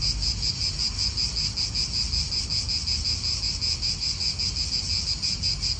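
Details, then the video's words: Cicadas buzzing in an Italian park, their shrill, evenly throbbing drone strong and constant, with faint wind murmuring low in the background. "Cicadas wind real atmosphere in an Italian park"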